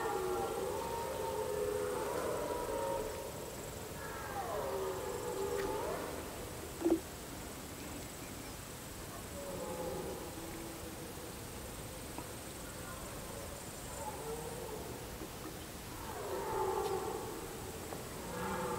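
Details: Red deer stags give long, moaning roars in drawn-out bouts during the rut, recorded up close from a hiding place among reeds.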